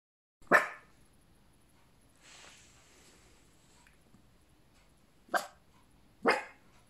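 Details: Female Cavapoo puppy, 15 weeks old, giving three short sharp barks: one near the start, then a pause with faint rustling, then two more close together near the end.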